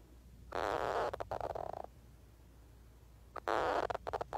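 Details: Pig, a pet hedgehog, snoring away while asleep: rough, rattling snore bursts about a second long, each breaking into quick fluttering pulses, with a quiet gap of about a second and a half between the two bursts.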